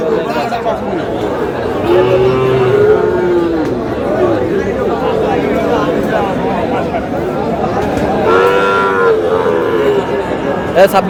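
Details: Sahiwal bull calves for sale at Aftabganj cattle market in Dinajpur, Bangladesh, on 13 June as trading begins: two drawn-out, harmonic moos, one near the start and one near the end, over steady crowd chatter and bargaining voices.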